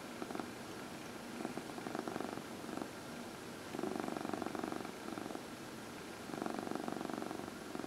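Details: Domestic cats purring while being massaged, one of four household cats including senior shelter adoptees Heidi and Dinah; soft rumbling purr swells in bursts every two to three seconds over a steady low hiss.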